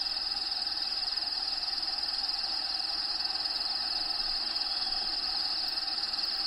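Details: Crickets in the home vivarium of a bearded dragon named Diego give an unbroken, high-pitched pulsed chirring, rapid and regular throughout, over a faint bed of natural habitat sounds.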